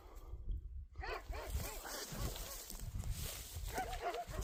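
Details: German Shorthaired Pointer out hunting, giving a rapid series of short, arched, nasal yelps, several per second, that start after a second of quiet and continue over a steady outdoor rumble of wind or movement.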